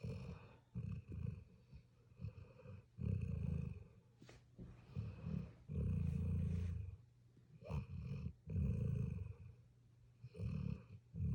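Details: Low, rasping snores from a sleeping puppy, breaths coming in irregular bursts roughly every two to three seconds, some doubled, with a faint click between them in a quiet room.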